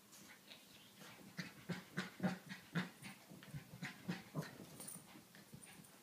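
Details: Pekingese puppy, a seven-month-old female, chasing her tail with rhythmic short snorting huffs, roughly two per second, some deeper and grunting, fading toward the end. A faint high whistle is also heard.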